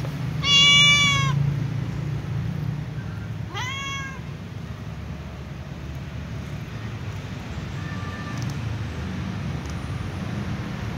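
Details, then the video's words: Calico cat meowing while sitting on a wooden chair beside a white cat: a loud, harmonic, rising-falling meow near the start, a second shorter meow at about four seconds, then a faint brief call later over steady low background hum. "Calico cat meows sitting on a wooden chair with white cat"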